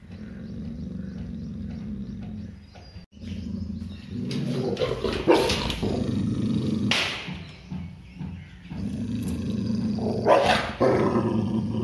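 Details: Labrador Retriever in a state of fear-based aggression, holding a steady low growl that erupts into three harsh snarling bursts before settling back into the rumble.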